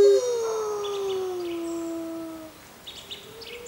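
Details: Arctic wolves, six in the pack, howling together; one long clear howl glides gently down and fades after about two and a half seconds, followed by faint distant higher yips.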